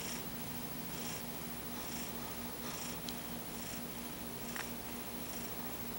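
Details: Paco, a pet cat, snores through an afternoon nap with his paw shielding his eyes; soft airy hisses of breath come roughly once a second over a steady low indoor hum.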